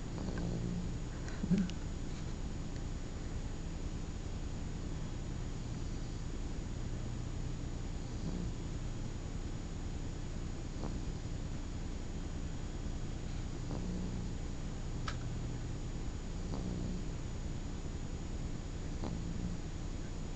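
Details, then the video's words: Sleeping 3-month-old puppy Otto snoring: a steady low rumble with soft, purr-like breaths about once a second, quieter and smoother than heavy snores, with a brief faint click near the start. "Otto snores"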